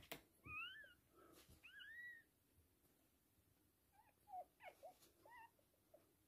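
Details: Two drawn-out high whines followed by a few brief, softer squeaks while a Toy Poodle delivers three girl puppies, with occasional sharp clicks in a quiet room.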